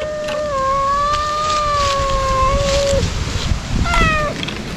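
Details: Stray ear-tipped sakura cats cry loudly while being fed Kalkan and Churu treats in a ruin-like spot, eating fast though wary; one long, steady, drawn-out meow lasting nearly three seconds, then a shorter falling meow, over a constant low rumble.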